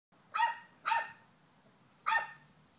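An English Springer Spaniel gives three sharp, mid-pitched barks, two close together and one after a pause.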